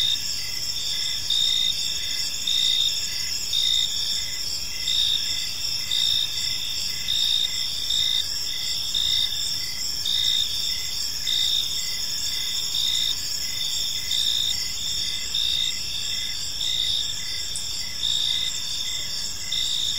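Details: Evening park chorus of crickets: overlapping shrill chirps pulse without pause at several high pitches, an even, ringing texture with a soft low murmur underneath.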